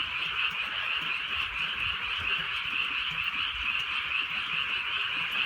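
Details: Countless frogs trill and croak at once through a drizzly rural night, producing a high, even, pulsing drone without pauses, with light rain audible in the background.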